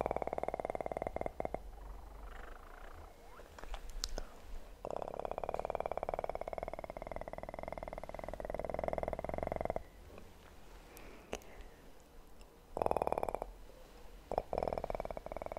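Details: A kitten purrs in long bursts, fast and rhythmic. Quiet gaps between them are broken by faint rustles and taps.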